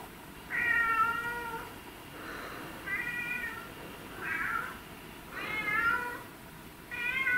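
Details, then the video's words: Pet cat meowing repeatedly, five or six harmonic meows in quick succession, some drawn out and falling, others shorter, spaced roughly a second apart in a quiet room. "These Meowing Cats Will Melt Your Heart"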